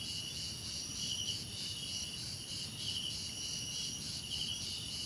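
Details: Crickets in a dense insect chorus: steady, high, shimmering trills layered in several bands, with a faster pulsing buzz that swells and fades about every second, over a soft low rumble of background noise.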